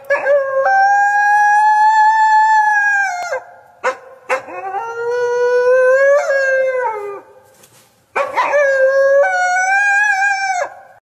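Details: A wolf from a hunting pack gives three long, steady howls, each ending in a brief break or yelp.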